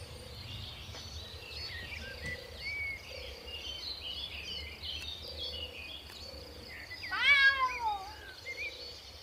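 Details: Kittens playing with their mother on green grass give a single descending, harmonic meow near the end, over steady chirping of birds and a low background hum.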